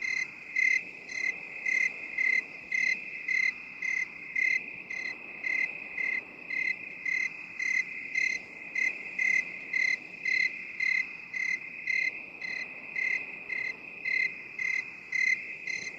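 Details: Steady cricket chorus in 8D binaural audio: a regular train of sharp high-pitched chirps, close to two per second, running over a constant ringing trill throughout.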